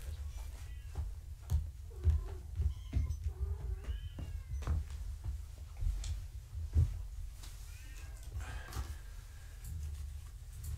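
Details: Foster kittens of the cat Gaia during a weigh-in on a live foster cam indoors, mother nearby; several high, arched mews rise and fall between shuffling and handling bumps, with a louder burst of mewing toward the end.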